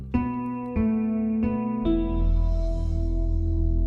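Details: Only instrumental music is heard, plucked strings ringing out in a slow sequence of sustained chords. No animal voice can be picked out anywhere.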